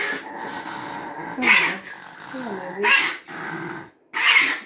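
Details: Chihuahua growling as a stranger tries to pet it indoors; low rumbling growl broken by three harsh, snarling bursts roughly every one and a half seconds, with a person's voice faintly mixed in.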